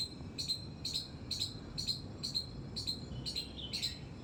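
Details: High, piercing squeaks from a squirrel in a terrace garden, evenly spaced at about two per second, nine notes in quick succession against faint low noise.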